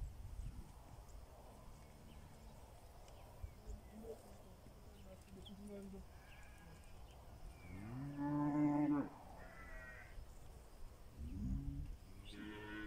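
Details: On a wet morning in South Africa, Pinzgauer cattle move out to summer pasture. Faint low lowing comes first, then one loud full moo near the middle and a shorter low bellow toward the end, over background rustle.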